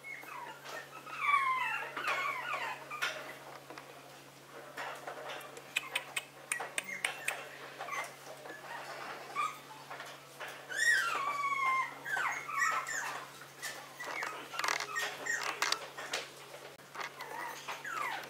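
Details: Indoor Maltese, the little prince, whining and whimpering in repeated squeaky slides that rise then drop, in clusters around a second apart, louder in two spells, with light tapping and shuffling noises throughout.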